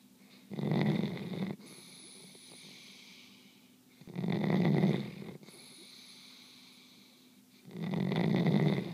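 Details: Belle, a sleeping dog, snoring loudly: three long rasping snores about three seconds apart, each lasting roughly a second, low and rumbling, with quieter breathing and a faint high whistle between them.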